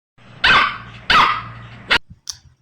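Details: Dog barking, a puppy per the description: two loud harsh barks about half a second apart with energy spread widely across mid and high pitches, then a short sharp yelp and a faint final sound, over a low steady hum.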